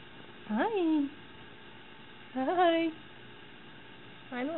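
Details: Domestic cat Moxie, wearing a pink sweater indoors, tries to take the rabbit Nub's carrot; three rising-falling meows about two seconds apart, the last one cut short, while a woman talks to her.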